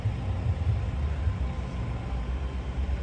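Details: Low, continuous vehicle and engine rumble with no animal calls heard.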